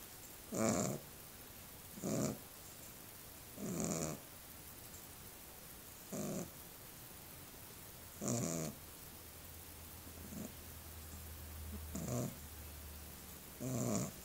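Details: Little dog snoring in its sleep: rough, buzzy snores come in short bursts about every one and a half to two seconds, seven in all, over a quiet background with a faint low hum toward the end.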